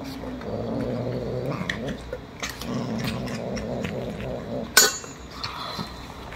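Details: Young kittens that love canned wet food, now raising their voices to demand a can be opened: several low, wavering, drawn-out cries in quick succession, with a sharp metallic clink near the end and faint tapping.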